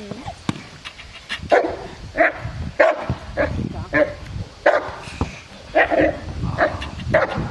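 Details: Aaron, a 14-month-old Cane Corso, during IPO training at Cascina Crimea in Cavagliano: a run of about nine loud, deep barks spaced roughly every two-thirds of a second, with faint voices in the background.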